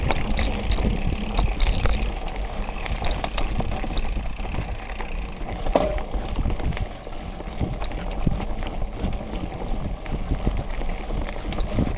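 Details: Outdoor trail recording with a border collie, dominated by low rumbling wind and handling noise, a faint brief click near the middle, and no clear animal calls.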